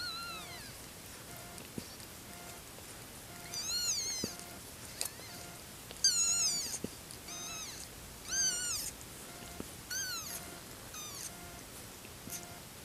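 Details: Five-day-old kitten, born 31 August 2014, giving a series of thin, high, arching mews, about six separate cries spaced one to two seconds apart, over faint background noise with soft clicks and a quiet repeating tone.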